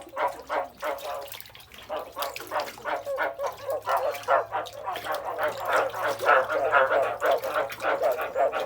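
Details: Frogs calling in steady, overlapping bursts: nasal, croaking notes repeated about three times a second, growing louder and denser toward the end, with a faint low hum underneath.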